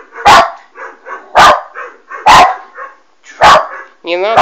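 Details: Alma, a West Highland White Terrier puppy, barks at a Doberman on a screen: four sharp barks about one second apart, with softer huffs between, and a whining squeal at the end.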